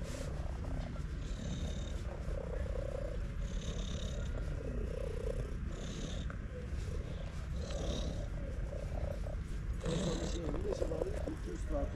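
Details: Loud purring from a cute stray cat as a hand strokes it, a continuous low rumble rising and easing in regular breaths about every two seconds, some soft handling noise mixed in.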